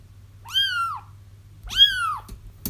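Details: Two plaintive kitten mews in quick succession, each arching up then sliding down, followed by a brief tap; crying kittens meant to attract a feral mother into a trap.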